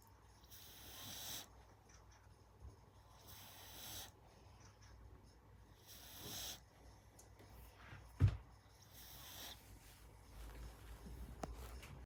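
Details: Gina, a five-month-old American Staffordshire Terrier puppy, asleep indoors and snoring loudly. Soft breathy rasping snores come in slow waves about every three seconds. A single sharp click sounds near the eight-second mark, and a quiet room hum runs underneath.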